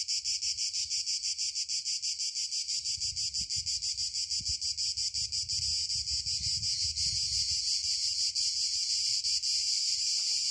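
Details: Cicadas chirping in the South: a loud, high, hissing buzz, rapidly pulsed at first and then running into a steady drone.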